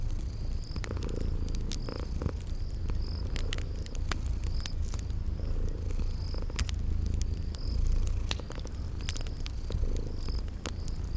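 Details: Sleeping kitties purring in a cozy spring garden ambience: a steady low rumbling purr runs throughout, with sharp crackling fire pops and a short high chirp repeating about once a second in the background.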